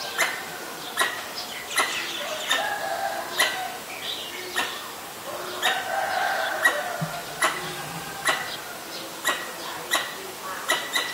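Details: Pallas's squirrel alarm calling when danger is near, Ubon Ratchathani, Thailand, 1 January 2023, Nikon P1000: steady series of short sharp chucks, mixed with other birds' chirps and whistles in the background.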